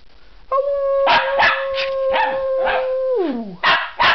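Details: Miniature schnauzer singing for an audience indoors: one long steady howled tone that slides downward at the end, broken by sharp loud bursts of sound before and after.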